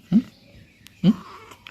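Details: Short, clipped cat calls from a pet playing outside the house, two brief rising mews about a second apart, with a quiet voice nearby.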